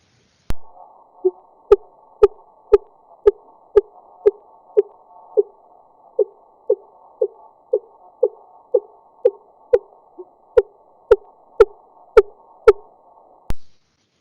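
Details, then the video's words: Fin whale song recorded by underwater listening station off Scotland's west coast, sped up 20 times to be audible: short, low, thumping pulses repeated steadily about twice a second. "That's the sound of a fin whale off the west coast of Scotland."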